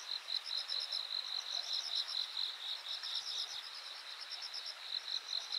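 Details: On 13 August 2023 by the bank of Yanagawa, insects produce bright, high chirping pulses in quick succession, roughly two or three per second, layered over a constant thin buzz of other callers.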